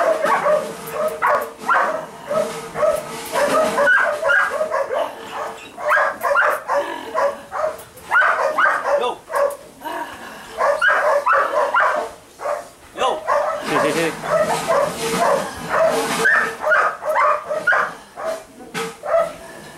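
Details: Twelve-week-old Dutch Shepherd and Malinois puppies yapping and yipping almost continuously, several voices overlapping in rapid high barks with brief pauses, a person speaking faintly.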